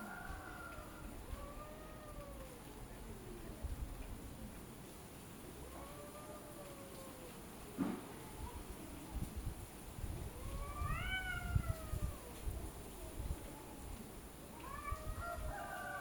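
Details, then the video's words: Cats arguing with each other, trading repeated arched, wavering yowls that rise then fall, some brief and some stretched, with a sharp click near the middle and a steady low hum underneath. "Cats Talking to each Other : Funny cat sounds when arguing"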